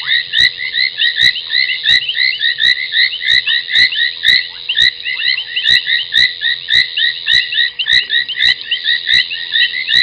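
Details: Foam nest tree frogs calling at night at Gowrie dam, Djuma Game Reserve, South Africa, 30 January 2021, 23:46: a thick wall of high, chirruping notes, with crisp clicks repeating roughly twice a second.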